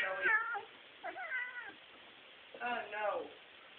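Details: A pet cat meows while a rabbit pesters it indoors: three drawn-out, wavering meows, each rising then falling, separated by short quiet gaps.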